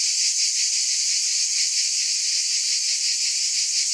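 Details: Cicadas droning in a loud high-pitched hiss, rhythmically throbbing about three times per second without pause.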